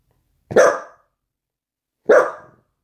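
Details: A dachshund puppy, playful about a ball and later drowsing in a loaf pose like a cat, gives two loud, clipped barks roughly one and a half seconds apart, with nothing else audible between them.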